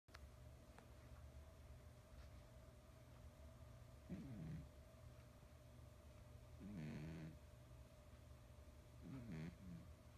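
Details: Heavy domestic cat of nearly 20 pounds snoring while asleep and dreaming, face and paws twitching; low rasping snores repeat about every two and a half seconds over a steady quiet room hum.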